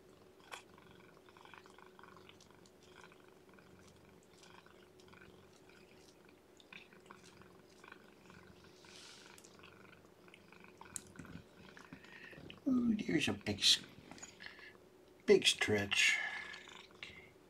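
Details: Lethargic, underweight newborn kitten being hand-fed and warmed, too young to hold its own temperature and without littermates to burrow into; soft rhythmic purring-like murmurs, then two louder squeaky cries close together near the end, with handling rustles.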